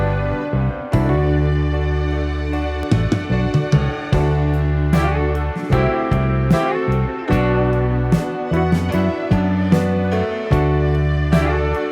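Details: Gentle slide-guitar music with plucked notes over a low bass line plays throughout, with no animal voice present.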